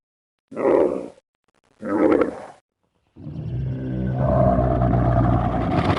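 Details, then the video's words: Two short, rough camel grunts about a second apart, then a long, low rumbling groan with a gurgling, throaty texture that continues steadily to the end. "Nah, di sini kalian bisa dengar gimana unta bersuara."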